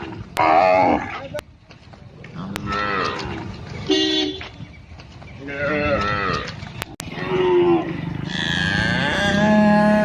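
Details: A calf in an Indian village bleats and moos repeatedly, giving short nasal calls that rise then fall, with village sounds around; Cow.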